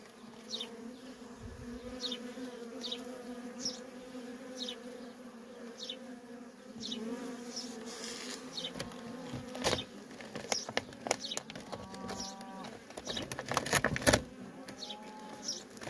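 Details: Worker honey bees in constant traffic at a feral colony: a steady low droning hum with a richer overtone, and faint high descending chirps repeating about every second. Sharp clicks and rustling bursts grow busier near the end.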